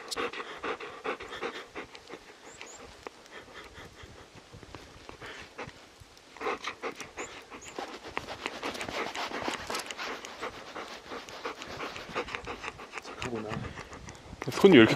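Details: Panting Labrador Retriever caught in an unexpected late-March snowstorm while hiking a mountain in Gangwon-do, Korea; rapid, steady rhythmic breaths, softer at first and then fast and continuous, with a brief louder rustle at the end.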